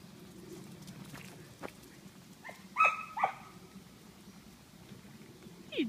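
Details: Terrier reacting to horse poop, giving a couple of short, sharp, tonal yelps near the middle and a brief squeal at the end over a low steady background hum.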